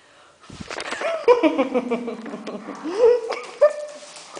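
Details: Weimaraner being naughty while playing with a Hungarian vizsla; a drawn-out, whiny grumbling voice that wavers and rises in pitch, with louder bursts near the middle and end, heard indoors in a small room.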